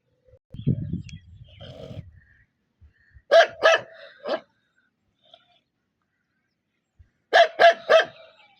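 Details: Angry dog giving loud barks in two bursts of three, preceded by low rumbling and a muffled, breathy sound, with silent gaps between.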